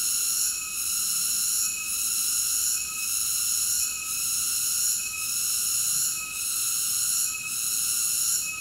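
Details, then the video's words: Continuous piercing cicada drone with bright layered overtones, softening for a moment roughly every second and then swelling back, evenly repeated across the stretch; nothing else stands out. "Cicada ASMR Sleep Nature Sounds"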